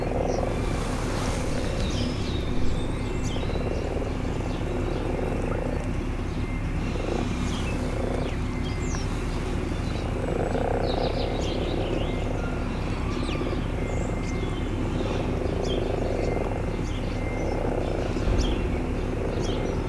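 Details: In spring, frogs gathered in garden ponds make repeated low, grumbling croaks in loose overlapping clusters across twenty seconds, over a continuous deep rumble.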